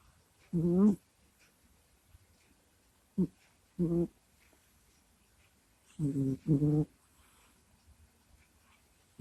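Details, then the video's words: Domestic cat asleep, recorded up close: brief low moaning grunts and snuffles in irregular bursts, two of them coming in quick succession near the end, with near silence in between. "Прикольный Кот Куся Сопит, Храпит, Стонет и Кряхтит во Сне"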